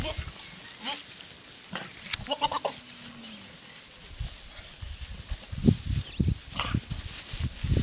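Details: Young Boer goats on a farm, giving several short, wavering bleats in the first three seconds. Later comes low thumping and rustling farm noise with a steady background hiss.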